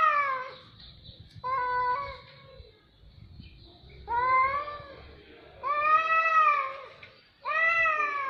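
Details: Cats meowing indoors: long, harmonic-rich meows rising then falling, some drawn out over a second or more, coming in bursts every one to two seconds with short quiet gaps and faint background rustle.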